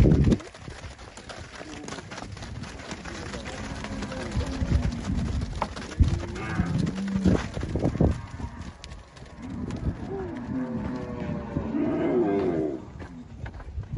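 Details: Angus cattle on a Brazilian farm in Palmeira dos Índios, Alagoas, herd for sale, deep moos amid heavy handling and wind noise, one louder bellow near the end.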